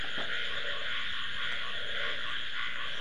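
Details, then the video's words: Frogs croak at night over a steady, high, ringing drone of crickets, in a dark, unlit wooded suburban spot during a power cut; frog. "আওয়াজটা শুনতে পাচ্ছেন? সব ঝিঝি পোকার আওয়াজ। আমি একটু চুপ, শুধু শুনুন ব্যাঙের আওয়াজ, ব্যাঙ ডাকছে।"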